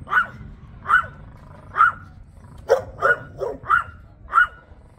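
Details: Chihuahua guarding an eel sandwich in Burgerveen: eight shrill, clipped yaps in five seconds, evenly spaced at first, then a quicker cluster of lower, rougher barks before a final high yap, with quiet background hum.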